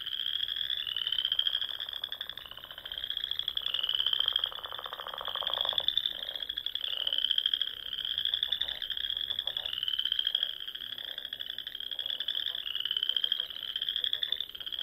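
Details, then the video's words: Spring frog chorus at dusk from ponds in the Sandhills of Nebraska: many frogs trilling together in rapid pulsed bursts, each rising trill lasting about two seconds, with fainter lower croaks beneath and steady overlapping waves. "RELAXING SOUNDS OF FROGS"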